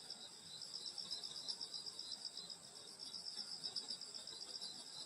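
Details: Summer night insect chorus in the countryside near a grandmother's house: piercing high trills ring continuously, with a fast rhythmic pulsing of roughly four beats a second riding on top.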